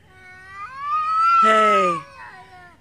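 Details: Street cats in Beaver Falls yowling in a morning territorial standoff between two feeding cats: a long, rising-then-falling harmonic wail swelling into a loud, harsh, strained peak before trailing off, with a man calling nearby.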